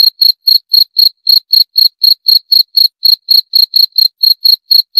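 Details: Continuous cricket chirps: short, sharp, ringing high notes repeated evenly about four times per second, with nothing else audible.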